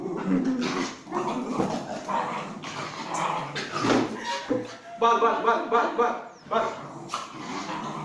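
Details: Pomeranian dog playing, producing a busy stream of gruff growls, short yips and higher whining notes, some with clear tonal whines near the end, while a person talks in Telugu in the background.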